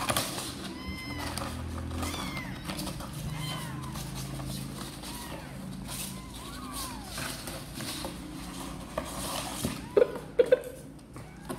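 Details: Sor and Kapov kittens wanting to come out and play, calling with a string of thin arched meows, some stacked and overlapping, over a constant low rumble with a few sharp clicks near the end.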